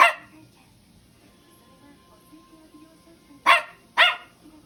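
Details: Pet Toy Poodle called noisy, recorded 10 April 2023, barks once at the start, then falls quiet before a quick double bark near the end; a faint tone and quiet background sounds fill the gap.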